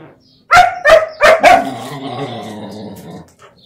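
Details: A German Shepherd puppy plays roughly with a mixed-breed dog. Four loud, sharp barks come in quick succession, about one every third of a second, then trail into a low, drawn-out growl that fades after two seconds.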